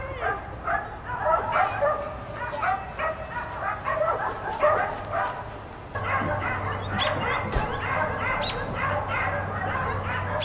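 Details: A pack of four outdoor dogs, left out all day, keeps up persistent barking, the first half choppier with separate yaps, then a thicker continuous chorus over a steady low drone.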